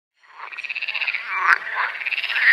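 A frog gives a fast, pulsed rattling croak, the notes coming in quick succession.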